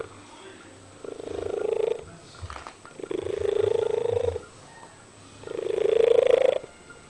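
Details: Domestic cat singing three drawn-out meows of about one second each, every one gliding a little upward, with faint low background noises between the calls.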